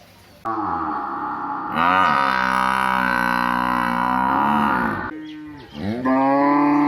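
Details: Village cattle alongside buffalo giving loud, sustained moos: one low start, then a long steady harmonic bellow of about three seconds, a brief dip, and another rising moo at the close.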